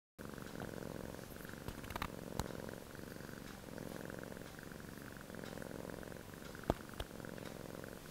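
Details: Relaxed male Sphynx cat snoring, steady rasping low breaths in slow cycles of roughly two seconds, a faint continuous buzz between them, with a couple of brief clicks and taps.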